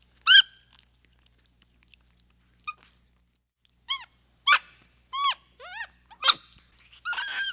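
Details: After a sharp opening squeak and a quiet gap, a capuchin monkey utters several clear arched whistles and chirps in quick succession, finishing with a buzzy, rougher note.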